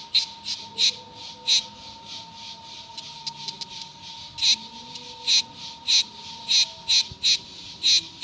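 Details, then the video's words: Buzzy, crackling pulses from cicadas arrive irregularly, sometimes in close pairs, against a quiet background with a faint continuous whine. "O canto das cigarras"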